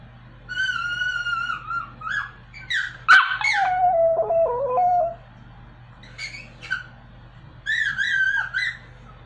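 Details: A Pomeranian dog trying to sing: a drawn-out howl that slides downward, a loud sharp crack, a lower wavering tone, then short rising yips and a final bending howl indoors.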